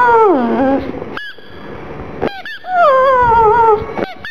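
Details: Black pug Gong Fu whimpers, sad about its little ball: a falling, quavering cry, then high squeaks, then a longer wavering whine that slowly sinks in pitch.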